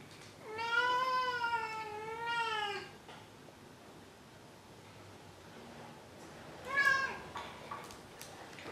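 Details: Maru, a domestic cat, gives a long, drawn-out, wavering meow lasting over two seconds, followed after a quiet pause by a short, sharp mew.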